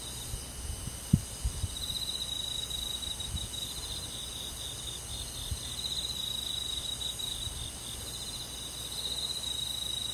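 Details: Crickets chirping on a summer night in a countryside forest, a high, steady trill broken into pulsed bursts over a dense, hissing insect chorus, with a few soft low thumps early on.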